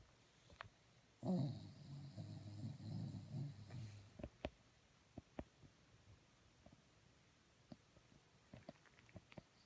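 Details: Moose the dog snores: a long, rough, low rumbling breath lasting nearly three seconds, swelling and fading, followed by soft scattered clicks and small rustles in an otherwise quiet indoor setting.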